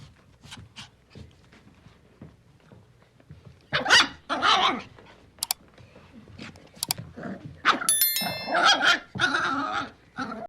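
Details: Puppy starting quietly with faint grumbles, then breaking into loud, harsh growling yips and snarls in close clusters. Brief sharp clicking noises are mixed in.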